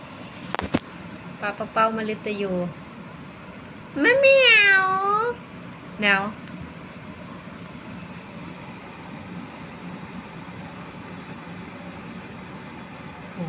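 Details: Pet cats at home around bedtime, when the kittens wake near 11 pm as their owner tries to get them to play, giving several drawn-out meows, one long wavering cry in the middle, amid background music, talk and steady hiss.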